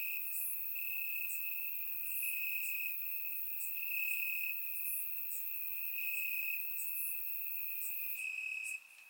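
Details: Night chorus of crickets in Bulgarian grass in summer, surround-recorded: an unbroken high-pitched trill holding an even loudness, with repeated high ticking chirps from other callers, ending in a sudden drop.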